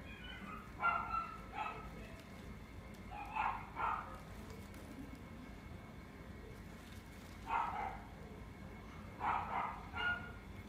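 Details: Female puppy in a pet shop, steel blue and tan coat, born 29 June 2019; short barks or yips come in pairs, near 1 and 1.7 seconds, 3.4 and 3.9, 7.6, then 9.3 and 10, over faint background hum.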